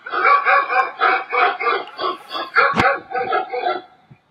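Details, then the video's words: Played-back dog barking heard by a puppy: a steady, rapid series of about twelve loud harmonic barks, roughly three per second, with a sharp click midway before they fade out. "Dogs Barking"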